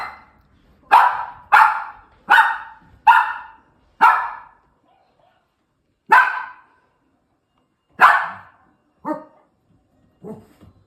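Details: Two-year-old female toy poodle barking: sharp, bright yaps in a fast run of five, then single barks spaced a second or two apart, ending with softer, shorter barks.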